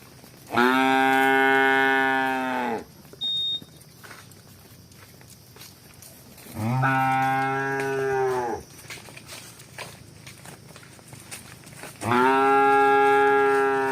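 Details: Cows running and walking give three long, loud moos, each lasting about two seconds, spaced roughly five seconds apart, with faint rustling and a short tone between calls.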